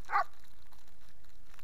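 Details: Puppy in a kennel giving a single short, sharp yip-like bark, then quiet with a low background hum.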